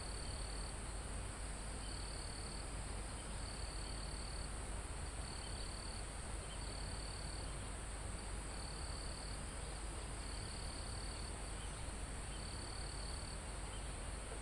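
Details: Crickets in a calm mountain forest near the summit, recorded live: bright, high trilled bursts about a second long, repeating roughly every second and a half, nine in a row, over a steady high hiss and soft wind in the foliage.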